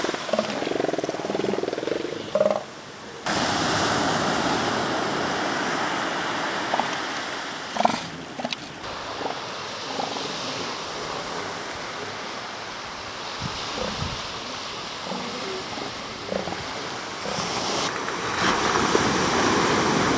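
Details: Northern elephant seals along the shore give hoarse, harmonic bleating calls at the start, then scattered short grunts and bursts over a constant hiss of surf and wind.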